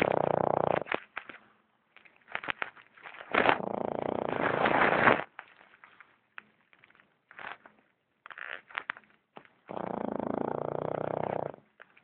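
A Boston Terrier snores with long, rough, rattling breaths broken by short snuffles and crackles.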